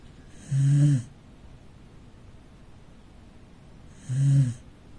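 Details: Snoring from a sleeping rescued Corgi in a family living room: two low, buzzy breaths with a soft hissing edge, spaced around three and a half seconds apart, otherwise calm and quiet.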